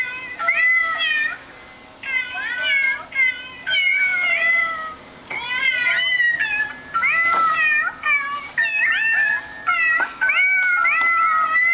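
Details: Vocal cats in a pet compilation, meowing repeatedly: a string of high, wavering, bending meows about every second, some rising and falling, over a faint music background.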